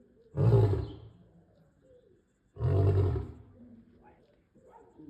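A male lion gives two deep, booming roars about two seconds apart.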